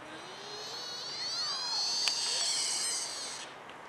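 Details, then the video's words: A sika deer (Cervus nippon), recorded in Holland at Blanckendaell, Tuitjenhorn, gives a long, high whistling squeal that rises steeply, holds, then fades away. "sika deer calls..."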